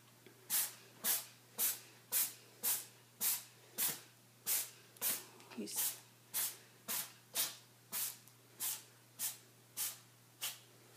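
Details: Tuxedo cat Charlie in an epic sneezing fit: a fast run of about twenty sharp, breathy, hissing sneezes, roughly two each second and evenly spaced, with a steady low hum underneath.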